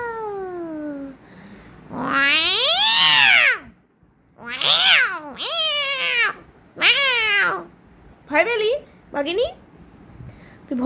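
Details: Domestic cat letting out a series of loud, harmonic meows and wails, each rising then falling, some long and arched and others short and sharp, with a person speaking nearby.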